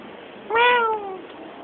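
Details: A black cat outdoors at night gives a single drawn-out meow lasting under a second. It starts with a quick rise, then slides slowly downward. A quiet steady background hiss continues throughout.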